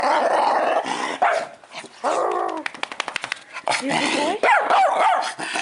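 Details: A little male dog shows off his growl, a grumbling growl that swells and wavers in pitch, broken by short pauses, while a person murmurs softly alongside.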